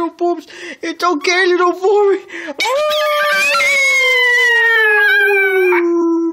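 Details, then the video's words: Pomeranian puppy named Foxie, a young male, howling indoors as his owner comes home; short yelping notes at first, then a long sustained howl slowly falling in pitch, with a person's soothing voice mixed in. "Foxie howling"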